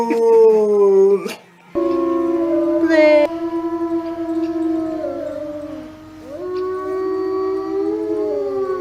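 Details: Howling from a dog keen to go for a walk: drawn-out tonal wails that shift pitch in steps and glides, one short high yelp around the third second, with a brief dip to near quiet early on.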